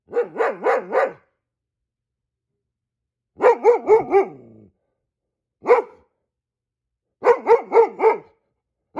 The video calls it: Goldendoodle barking like a guard dog ... when he sees squirrels